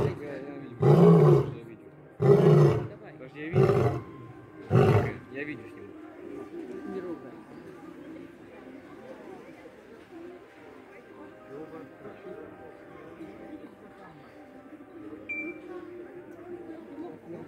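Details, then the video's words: A lion gives four loud, deep grunting pulses roughly one to one and a half seconds apart, then the calling stops and a low, quiet rumble fills the remaining stretch. "Lion Roar!"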